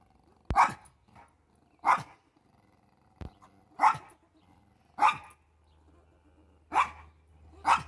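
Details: A male Pomeranian barks at a squirrel, his old rival. Single sharp yaps come roughly every second, six in all, with quiet gaps between and a faint low hum underneath.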